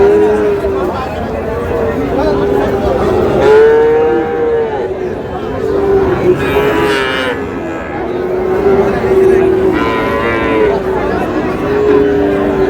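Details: Bull calves of Friesian and cross breeds at Raniganj market in Dinajpur, 30 July: a run of short, arching moos repeated every one to two seconds, several animals overlapping, with people haggling and crowd noise throughout.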